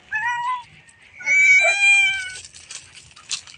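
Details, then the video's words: A pet cat, one of several kept at home, utters a short meow, then a longer, level, slightly falling meow after a pause, while a person calls it over, with faint rustling afterwards. "MEOW MEOW, MGA ALAGA KO NA PUSA"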